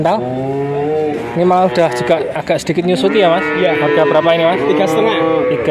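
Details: Bull calves for sale in Grabag, Magelang regency, Indonesia, where 19 head change hands. Repeated wavering moos overlap one another almost continuously, with human chatter and handling noises mixed in.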